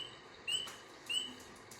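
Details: A spring peeper, a tiny frog among the first animals to wake from winter sleep in spring, gives two clear, high, slightly rising peeps, each short and bright.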